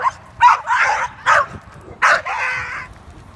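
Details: Loud, harsh, high-pitched barks in quick irregular bursts, some drawn out, from a walk training Beignet, a three-year-old leash-reactive male American Staffordshire Terrier (red nose pit bull) that behaved aggressively toward dogs on leash.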